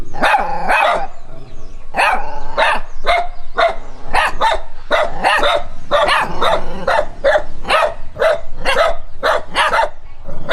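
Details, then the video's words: Dog reacting to a stranger, running while barking: a rapid, unbroken series of loud, harsh barks, about two each second, some doubled, continuing for the whole stretch. "How a dog react when it sees a stranger!Running while barking?"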